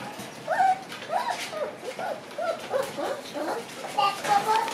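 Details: Shiba Inu puppies in a kennel room at night, with more of them staying overnight. They make overlapping high whines and short yips, some rising and some falling, repeated in quick bursts. A light background murmur runs underneath.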